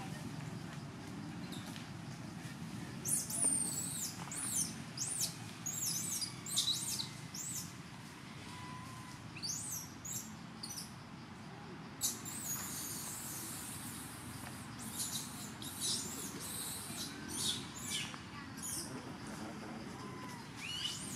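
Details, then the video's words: Young temple monkey Jovie in Cambodia, thin and hungry, yells at its mother demanding milk until she finally nurses it: repeated piercing, high-pitched screeches in bursts from about three to nineteen seconds, over a steady low rumble. "Poor Skinny Monkey Jovie Alert Mom With Yelling For Request Milk"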